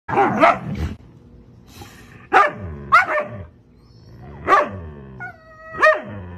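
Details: Puppies crying: short, harmonic yelping whimpers in separate bursts near the start and then about every second or so, each rising and falling sharply, with quiet gaps between.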